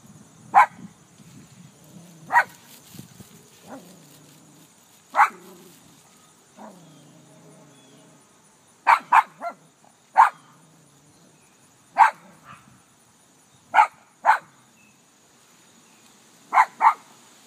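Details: Barking at her own reflection in a car, Ellie the dog lets out spaced single barks with low grumbling between, then quicker doubled barks toward the end.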